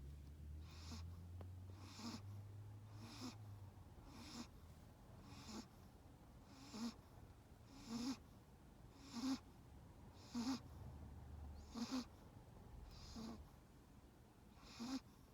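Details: Snoring from a sleeping Chihuahua in sunglasses: regular airy snorts roughly every 1.2 seconds, the later ones louder with a thin whistling squeak, above a soft low hum.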